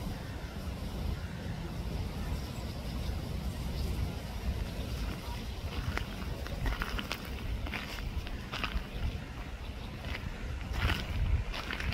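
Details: Steady low rumble of distant traffic and wind with scattered clicks and rustles, and no clear animal call.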